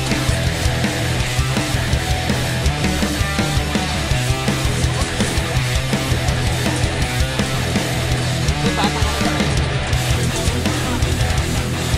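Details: Loud heavy rock music with driving guitars and drums fills the whole stretch.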